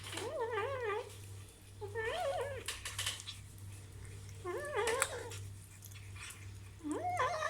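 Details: Kitten eating meat for the first time lets out wobbly, warbling meow-growls with clear harmonics, four bursts in about seven seconds, over a persistent low hum.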